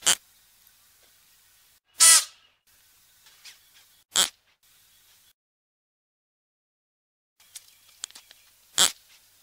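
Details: Klipspringer (Oreotragus oreotragus) sounds: a loud drawn-out rasping blast followed by shorter, sharp hissing bursts, separated by quiet clicks and a silent pause.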